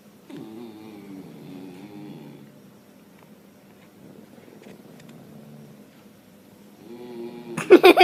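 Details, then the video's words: Dog making strange noises: a two-second wobbling, howl-like moan, a stretch of near quiet, then another short moan ending in a loud crackling burst. "Dogs making weird noises"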